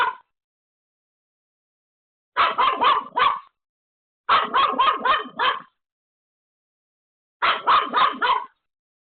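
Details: Pomeko the Pomeranian, left home alone, barks desperately at an unexpected visitor; rapid clusters of four to six high yaps about a second long, spaced by short silences.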